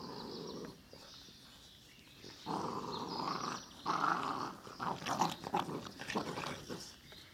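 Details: Ca de Bou puppies from the litter of Ivi and Tito, producing rough growls and grumbling vocalisations that swell and fade in bursts over several seconds, with scuffling noises alongside.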